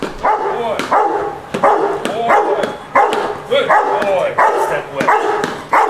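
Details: Rottweiler on its first day of object-guard training, standing on an object and barking at a decoy while the owner stays nearby. Deep, harsh barks come in bursts about every second, with a man's voice praising the dog in the background.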